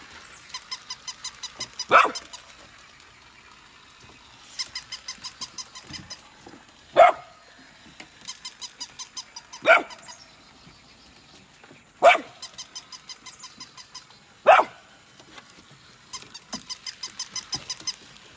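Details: Golden retriever puppies Nala and Scout, born August 2020, reacting to a new puppy: single loud barks about every two and a half seconds, each set among runs of fast, even ticking clicks.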